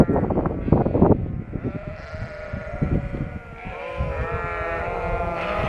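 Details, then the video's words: Flock of Shropshire sheep after lambing, relocated into a field in Shropshire, England; a din of wavering, harmonic bleats overlapping, some long and quavering, over low rumbling background noise. "Shropshire sheep are noisy after lambing"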